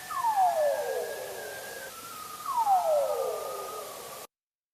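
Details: Bearded seal (Erignathus barbatus), descending trill.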